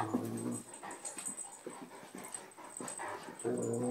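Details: Sampson, an Anatolian Shepherd, plays carefully with the little rescue dog Mia indoors, growling like a bear. Deep, buzzing growls open and close the clip, with softer grumbles, huffs and scuffles between them.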